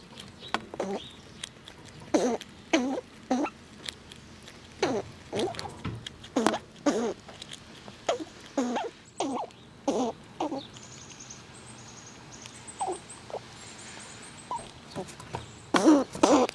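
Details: Wild squirrels eating nuts outdoors in cold winter weather, pushing each other around; loud crunchy gnawing bursts come roughly twice a second in uneven runs, then thin out, with faint high chirps in the background later on.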